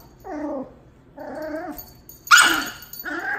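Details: Min Pin pup Tito, aged two months, meets Dachshund Jupiter, aged a year and a half: two drawn-out nasal growl-whines, then a single sharp bark and another short whine.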